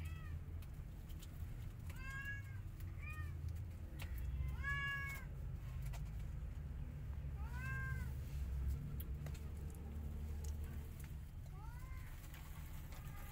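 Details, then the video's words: Cat meows as an angry white cat objects to a tiny kitten trying to enter her hut: about six harmonic, arched meows spread over the clip, some paired, over a steady low rumble of background noise. "Angry White Cat Is Not Happy When Tiny Kitten Try Come Inside Her Hut"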